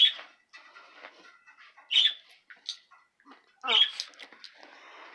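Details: Areo the dog playing with mamas indoors, giving high, squeaky yelps and squeals in short irregular bursts, with louder cries near the start, around two seconds and near four seconds, between softer chirping noises.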